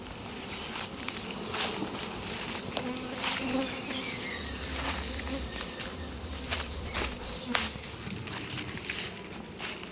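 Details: Honey bees swarming during a litchi honey harvest on a bee farm: a steady, dense buzz of many bees with a low hum beneath, broken by sharp taps and knocks from the work.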